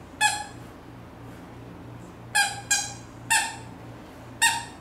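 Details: Siberian Husky puppy named Latte, not yet fully grown, asking to play indoors while its owner works at a computer; five short, high-pitched, squeaky whines with rich harmonics come at uneven intervals over a steady low hum.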